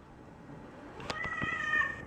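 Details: Two domestic cats in a barn, one a Siamese, play fighting roughly; a drawn-out harmonic meow swells and then fades over about a second, preceded by a few sharp clicks and scuffles.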